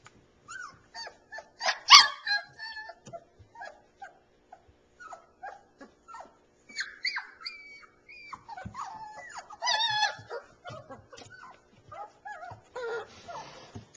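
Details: Three-week-old Alaskan Malamute puppies, kept in southeast Iowa, whimpering and yipping: many short, thin, high rising and falling squeaks, overlapping from several pups, with occasional louder yelps and brief rustling.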